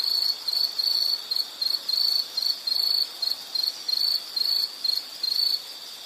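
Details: Insect producing shrill, pulsed chirps in a stuttering series of short and longer bursts, roughly a dozen in six seconds, then falling quiet near the end. Faint hiss in the background.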